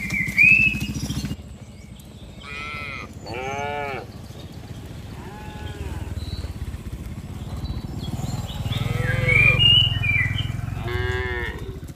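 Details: A herd of tame cattle driven from open green pasture to the pen calls repeatedly: several short, arched, harmonic bellows overlapping at intervals across twelve seconds, with a steady low motor drone and scattered high bird twitters behind.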